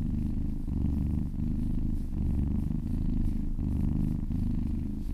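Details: Purring of a happy cat being massaged, low and buzzing with a steady throb, each breath phase about half a second to a second, the rumble never pausing, nothing else audible.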